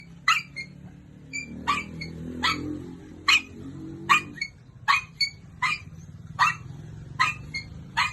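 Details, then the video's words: Pet dog barking: short sharp barks repeated more than once a second, evenly spaced, over a low steady hum in the background. "pepper is barking"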